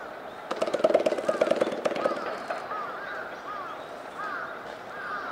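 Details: Gorilla siblings Kiyomasa, a 10-year-old male, and Annie, his 9-year-old sister, play together at Higashiyama Zoo, Nagoya, Japan. A quick run of hollow, resonant, popping beats lasts about one and a half seconds, while visitors chatter in the background.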